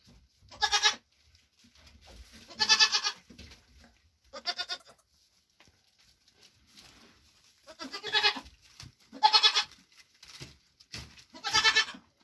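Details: A mother Nigerian Dwarf goat being given grain after a hoof trim, her triplets born in June 2023 nearby; six short nasal bleats, spaced irregularly, some in quick pairs, over faint background shuffling.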